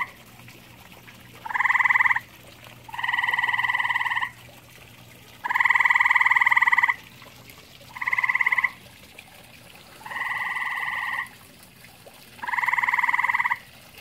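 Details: Grey tree frog in a pond with common toads, giving six pulsed, rattling trills. Each lasts roughly one to one and a half seconds, spaced about two seconds apart and varying in loudness.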